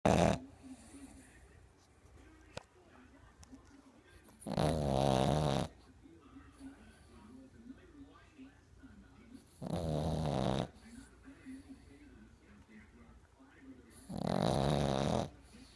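A Boston Terrier snores in loud, rasping, buzzy breaths about every five seconds.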